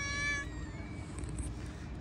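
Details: Domestic cat outdoors giving a short meow that fades into a trailing faint tone, with steady low background rumble and a brief high rustle near the end.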